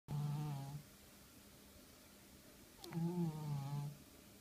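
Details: A pet cat snoring in a small indoor room: two low, droning snore bursts with a stacked harmonic sound, the first at the start and the second near three seconds, with quiet pauses between.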